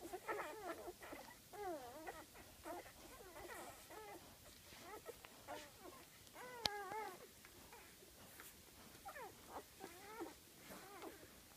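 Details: Golden retriever newborns, five days old, one of eight in a litter born September 17, utter a steady series of arched, quavering squeals, each rising and dropping, with a sharp click near the middle.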